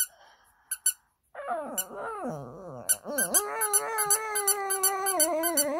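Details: Indoors, a Shih Tzu answers a doll's squeaking with mournful howling. After a few squeaks and a pause, a wobbly, dipping wail settles into a long, steady moan, overlaid by brisk, regular squeaks from the toy.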